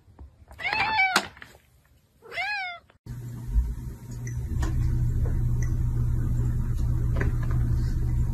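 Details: Pet cat indoors giving two falling, slightly wavering meows about two seconds apart, then an abrupt switch to a steady loud low rumble with scattered clicks.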